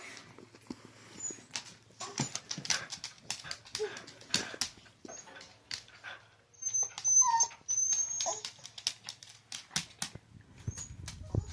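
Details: Domestic dog 'talking': brief, thin whines and yips scattered among many soft clicks and taps, with a short squeaky tonal whimper partway through and a louder, rougher stretch near the middle.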